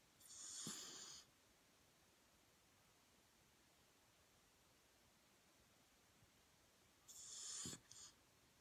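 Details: A 10-month-old Pembroke Welsh Corgi snores while sleeping, with two breathy, rasping snorts about seven seconds apart.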